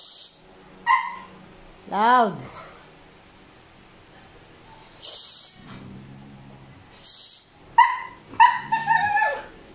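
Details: Male Siberian Husky stirred up by a female in heat, letting out occasional arching, wavering whine-howls separated by quiet gaps, with a short burst of several calls near the end and a person's voice in between.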